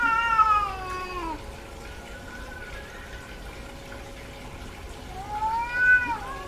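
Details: Domestic cat, a female in heat, gives a descending wailing meow, then a quiet pause, then another rising-and-falling yowl near the end.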